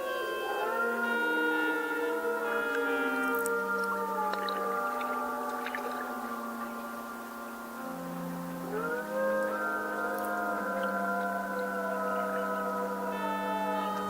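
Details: At night on a lake in Algonquin Provincial Park, Canada, heard from a canoe, a pack of gray wolves near a kill site howls together: long, smooth overlapping voices holding or slowly rising and falling into a layered chorus.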